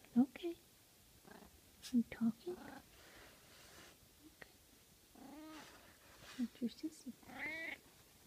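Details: Russian Blue cat napping and kneading, answering a woman's soft questions with a couple of drawn-out murmured meows and chirps between her quiet speech, indoors.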